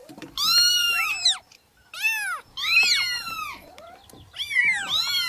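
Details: Several newborn kittens mewing loudly, with overlapping high arched cries, a brief quiet gap, then more drawn-out, wavering meows crowding together.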